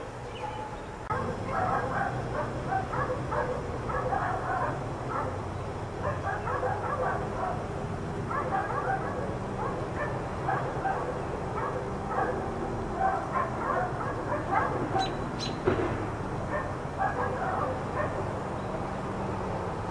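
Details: Four dogs left outside all day by neighbours keep up a dense, continuous chorus of distant barks and yaps, while a droning engine-like rumble rises and falls in the background.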